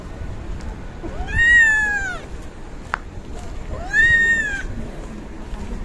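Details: Two long, plaintive kitten meows about two and a half seconds apart, each arching up and sliding down, over low background hum and a single sharp click, while kittens eat yogurt.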